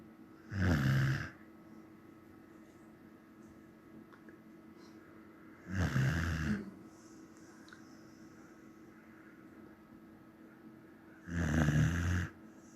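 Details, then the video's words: Slumbering Samoyed snoring steadily, three low, rumbling inhalations roughly every five seconds, each about half a second of buzzy vibration, with soft room hum between. "Samoyed snoring"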